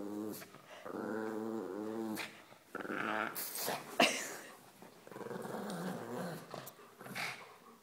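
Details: Pug making growling noises during tug of war whenever a shepherd dog approaches, indoors; wavering, moaning growls rising and falling in pitch, with scuffling and a sharp click near the middle.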